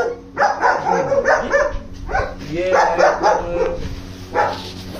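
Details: A group of German Shepherds bark in uneven, overlapping bursts, some barks sliding in pitch, with short gaps between volleys.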